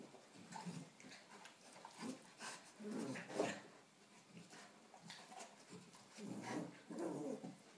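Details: Two dogs play-fighting: a 4-month-old Rottweiler cross puppy taking on a 3-year-old St Bernard. Short rough growls and grunting bursts come in irregular clusters, with quieter scuffling between them.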